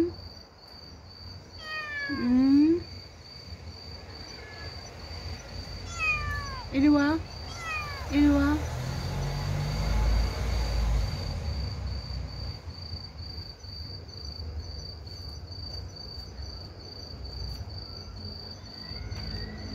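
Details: Motherless kitten crying through the night toward people: a few loud, high, harmonic meows, one near the start and two more close together mid-clip, each bending downward, over steady insect trilling and low background rumble.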